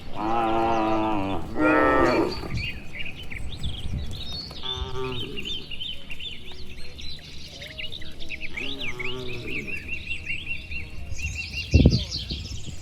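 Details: Dozens of cattle walk home to their shed along a village road lined with green trees on a warm evening, answering one another with long, deep, drawn-out moos, four in all, the first two close together, while small birds chirp throughout.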